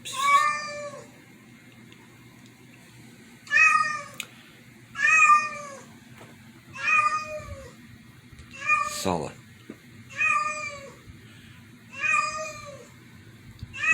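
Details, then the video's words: Cats at home reacting to a strange meow. A run of eight loud, repeated meows, each a short harmonic downward-bending wail, arriving about every one and a half seconds. A sharp noise near the middle and a man's voice are also heard. "Cats freaking out over strange meow"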